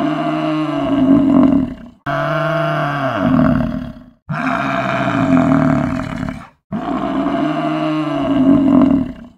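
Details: Loud groaning buffalo calls, four long hoarse bellows in a row, each rising to a peak then fading, split by brief pauses.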